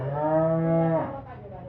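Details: A healthy Holstein Friesian dairy cow in a farm setting giving one long, steady low moo of about a second, ending with a slight drop in pitch.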